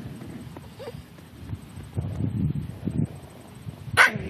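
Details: Seven-week-old English Bulldog puppies playing outdoors in grass for the first time; low scuffling and rustling, then one sharp high yip near the end.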